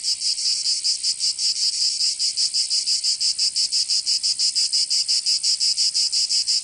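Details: High grating buzz of cicadas in summer, Provence, southern France, throbbing steadily about three times a second throughout, a continuous insect chorus with no other noise.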